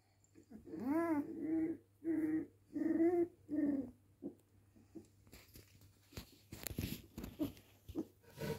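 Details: A pet dog indoors giving four or five short, pitched, moaning whines in quick succession, then quiet shuffling, clattering and rustling noises.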